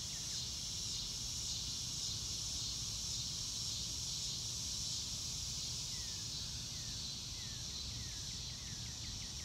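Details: A continuous high-pitched buzz of crickets fills an outdoor scene, even and unbroken, while a bird adds short descending notes in the second half.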